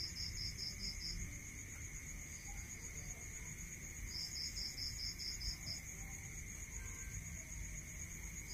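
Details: Crickets calling at night in a rural area: bursts of rapid high pulsed trills repeat in short series over steady continuous insect tones, with a soft low rumble underneath.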